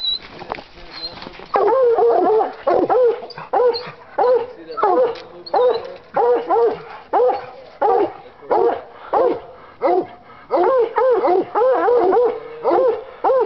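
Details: A five-year-old Bluetick Coonhound treeing during a coon hunt, joined by a second hound, an English, nearby. Quiet, scattered barks at first, then loud chopping barks with harmonics, repeated roughly once per second. A man urges the dog on.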